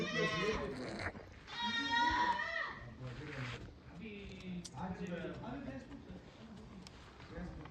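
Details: Farmed goats letting out two strong quavering bleats in the first seconds, followed by fainter wavering calls, with people talking throughout.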